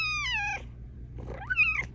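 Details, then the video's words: A vocal female Bengal cat at night gives two insistent meows, one sliding downward, the next rising then falling, asking for pets and cuddles. "Cat with the meow that can't be ignored! She WILL get her way!"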